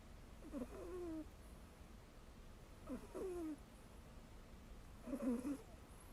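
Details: Ragdoll cat Mel deeply asleep, pillowed on a companion cat's behind, snoring in squeaky whistled puffs with wavering tones, three snores roughly every two seconds, soft room hiss between.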